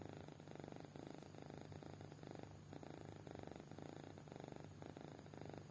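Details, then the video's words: Kitten sound asleep and snoring: rhythmic rasping inhale-exhale bursts, evenly spaced, soft and low, with continuous faint humming noise behind. "Anak Kucing Tidur Pulas Sampai Ngorok"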